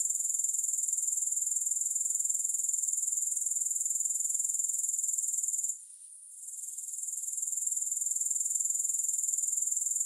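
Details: Shrill, steady insect trill from grasshoppers, no music added; rapid regular pulses sustain for several seconds, drop out abruptly for a moment midway, then swell back to full strength.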